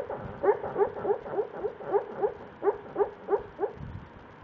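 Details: A dreaming dog named Buster makes a steady series of short, muffled woofing whimpers, roughly three per second, each a soft puff with a faint upward-sliding tone.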